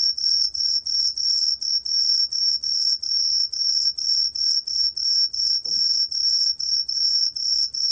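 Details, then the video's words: Korean Truljalia hibinonis cricket, 2020 National Institute of Biological Resources recording: rapid high-pitched pulses in regular bursts of three or four per second, constant in loudness, with a brief soft low knock midway. "청솔귀뚜라미, 여러번 듣기, 곤충소리"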